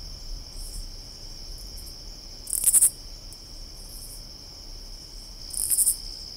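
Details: A katydid in summer gives short, very high, raspy pulsed bursts about every three seconds over a steady insect drone.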